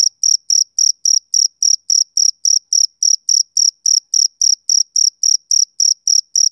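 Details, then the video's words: Rhythmic chirps of a male cricket, a summer-evening sound; crisp high trilled bursts follow one another at an even pace, roughly three or four each second, against complete quiet. "Cricket Chirping Sound Effect"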